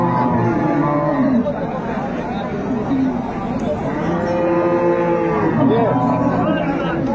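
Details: Cattle at Ambari Haat market in Dinajpur on 25 August 2025, where improved-breed dairy cows and calves are sold: drawn-out, harmonic moos, some bending in pitch, rising over a steady din of crowd chatter and market voices.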